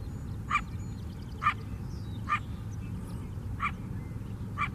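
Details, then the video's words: Lakeside coyote in urban Chicago, south side: five abrupt barks repeated about once a second, moderately loud, with low continuous city noise underneath. "Chicago Coyote Barking"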